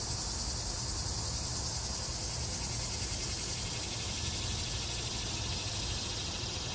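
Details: Annual cicadas in a yard in summer fill the air with a steady, high, hissing drone that never lets up; only males sing, to attract females.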